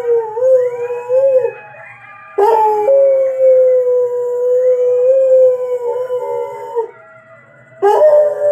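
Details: A Rottweiler watching YouTube howls in long, steady, mid-pitched notes that waver slightly and then fall away.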